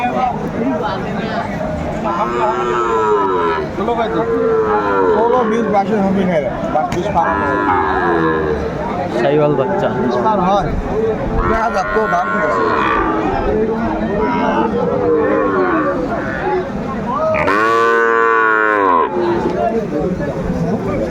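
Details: At a Bangladeshi cattle market in Noakhali on 21 August 2024, Sahiwal bulls low repeatedly: rounded, harmonic moos every few seconds, ending in one loud, long bellow, beneath constant chatter of buyers and sellers.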